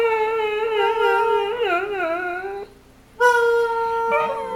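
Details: Dog producing sustained tonal howls with wavering, talking-like pitch bends, a brief gap, then a steady held note and a short rising cry indoors.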